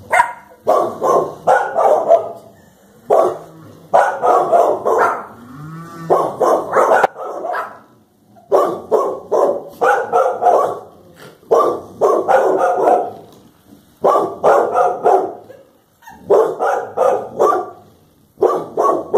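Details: Pair of Clumber Spaniels facing down a cow, backing up as it advances and pressing forward when it turns; sustained bouts of rough, overlapping barks repeat in dense bursts with short breaks between them.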